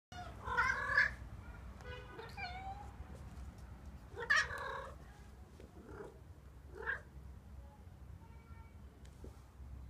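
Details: Loki, a white domestic cat, meowing indoors: a loud drawn-out meow opens, followed by a rising meow near four seconds, then quieter, shorter mews trailing off against a low steady room hum.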